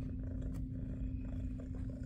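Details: A deep, throbbing purr from Jiji, a fluffy female SBACC shelter cat enjoying belly rubs from favorite people, fills this short indoor moment, with a faint steady hum and little talking.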